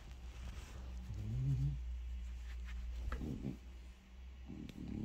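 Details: French Bulldog Bob grumbles for attention after breakfast, with his ball and getting strokes; one low, wavering moan rises and falls, then comes soft rustling and handling noise in a quiet room.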